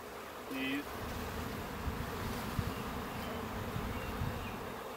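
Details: Western honey bee (Apis mellifera) swarm of roughly 20,000–30,000 bees, on a June 10, 2017 morning, being scooped into a box with the queen and fanning: a dense, low, steady, unbroken humming drone.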